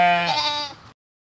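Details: Sheep bleating once in a single wavering baa of under a second. It is low and nasal with rich overtones, starting strong and trailing off quickly.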